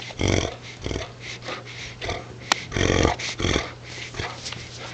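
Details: A Great Dane growls in low, rumbling bursts with snorting breaths while tugging a towel close up to the camera at night, a person talking and urging it on nearby.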